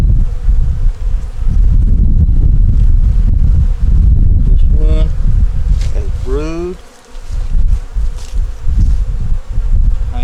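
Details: Winter inspection of a honey bee nuc working to make it through winter, yellow queen with brood up top: continuous low droning buzz, interrupted midway by a short human voice, then the hum resumes.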